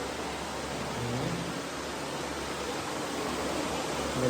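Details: Loud, even rushing noise like an air blower covers everything, with brief murmured speech beneath.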